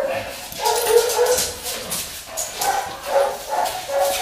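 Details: Bristol, a Labrador mix, during a cat test on 14 September 2019, giving high, tonal whines in drawn-out bursts with faint background noise between them.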